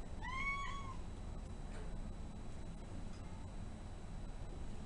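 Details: Male Domestic Shorthair cat, shy and recently arrived at a shelter awaiting adoption, utters one clear arched meow at the start, then only quiet room hum and faint rustles follow.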